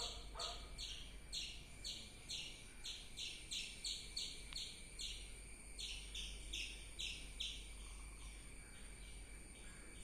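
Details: Squirrel giving a long run of rapid, bright chirps, roughly two to three per second, pausing briefly midway, then resuming; constant faint background hum throughout.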